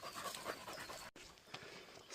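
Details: A puppy training to become a wild boar hunting dog, doing special training in hot weather, pants hard. The quick, breathy, broadband huffs come in a steady rapid run, with faint outdoor background.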